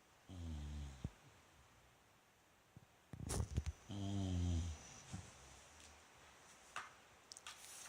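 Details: Indoor bulldog Rikyu, one of the pair Fukumaru and Rikyu, snoring in his sleep on 29 November 2016: several short, throaty snores and snorts spread across eight seconds, with light tapping and rustles between them.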